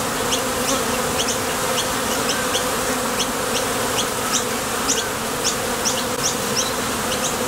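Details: Honey bees buzzing at the entrance of a Top Bar Hive as foragers leave and land while heading out for nectar; a dense, steady hum with a low drone and frequent short high flicks as individual bees pass close.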